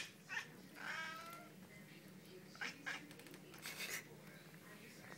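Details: Female pet cat giving an odd meow in reaction to someone sneezing near her: a drawn-out, wavering harmonic meow around one second in, followed by short noisy bursts and faint background talking.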